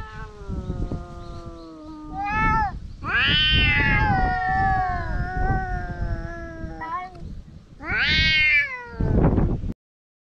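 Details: Fighting stray cats growl and wail in a long standoff, harmonic yowls swelling and falling in pitch, sharp rising screams at about three and eight seconds, scuffling and thumps underneath, then sudden silence.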